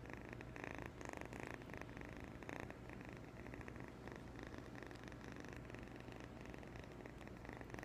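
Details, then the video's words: Young kitten, 8.5 weeks old, gives a long unbroken purr, a deep rhythmic rumble that rises and falls in quick pulses, accompanied by a low steady hum. "New kitten purr"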